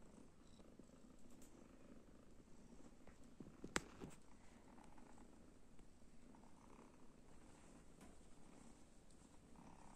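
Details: Kittens at rest after playing keep up a soft, low, continuous purr, with one sharp click partway through.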